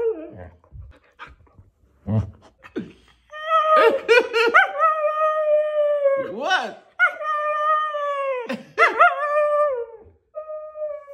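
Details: Siberian Husky throwing a temper tantrum indoors: after a few short sounds, long wavering howls and whines, rising and falling with rich harmonics, come in several drawn-out bursts, some with sharp yelps between them.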